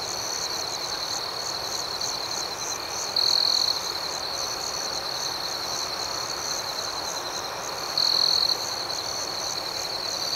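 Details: Crickets on an outdoor night keep up an even, high-pitched buzzing chorus. Twice, about five seconds apart, a louder cricket nearby breaks in with a half-second burst of bright trilling.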